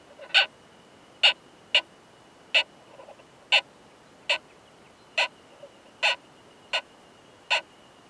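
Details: Male Oomadarakokunusuto beetle making hard 'kan kan kan' clicks while mating with a female in a high-mountain pine forest; crisp knocks spaced roughly every half to one second, with a thin steady whine behind.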